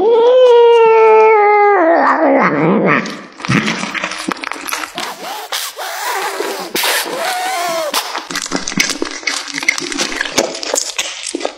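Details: A cat eating beef liver gives a drawn-out, steady tonal meow lasting about two seconds, then falls to wet chewing, smacking and crunching sounds with faint rustling in between.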